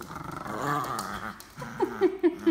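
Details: German Pinscher at play in a pulling game, growling in a steady low rumble for about a second and a half, then several short sharp yelping barks in quick succession, indoors.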